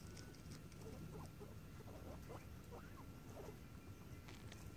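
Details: Squeaking guinea pigs out adventuring, giving brief upward-sweeping chirps scattered through the first few seconds, some in quick pairs, against a loud low rumble and a thin steady hum.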